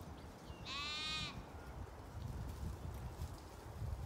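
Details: Zwartbles sheep from a flock of ewes and lambs on a regenerative farm in County Kilkenny, Ireland: a single bright, quavering harmonic bleat of about half a second, followed by low rustling and trampling in the field.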